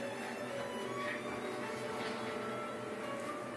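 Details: Constant mechanical hum and hiss with faint steady tones, like a machine running indoors; no animal voice emerges.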